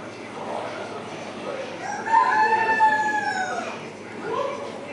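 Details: A seal at a seal quarantine centre gives a drawn-out, tonal wail that rises slightly and then falls away.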